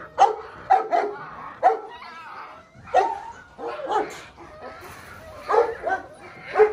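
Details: Belgian Malinois pups, six weeks old (Lorockmor Mensa x Pixel litter), bark in quick high yaps: a rapid triple, then scattered single barks mixed with thin whining squeals across nearly seven seconds.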